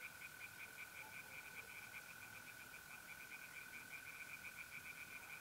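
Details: Night chorus of tree frogs at a pond in north-east Italy in mid-April: rapid, even pulses of croaking run without a break, layered over the steady high trill of mole crickets.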